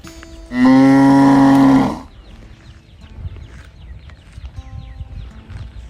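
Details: A calf searching for its mother gives a single strong, steady bawl lasting over a second, rich in harmonics, followed by faint background rustling and distant farm noise.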